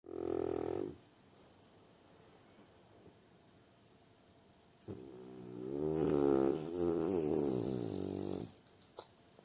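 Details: French Bulldog snoring while asleep: a short low buzzing rattle at the start, a long quiet pause, then a longer harmonic rasping snore lasting about three seconds that swells and fades.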